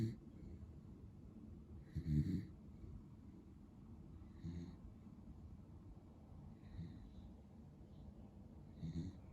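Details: Asleep, the male Beagle Pero, lemon and white and born 22 February 2015, gives soft, rough low snores roughly every two to two and a half seconds, quieter and less even, with faint room hiss between.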